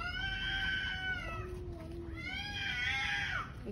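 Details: Evening yowling from a distressed stray cat at a roadside, another black cat close by: two long harmonic wails, the first steady then dropping into a lower moan, the second rising and bending downward, with low rumbling noise beneath.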